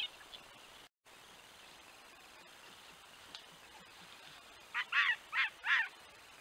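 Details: Red fox at a den with four pups of the 2023 season, night trail camera by a pasture where the vixen brings prey to the den entrance; after quiet hiss, four short harmonic yelping calls come in a quick series near the end.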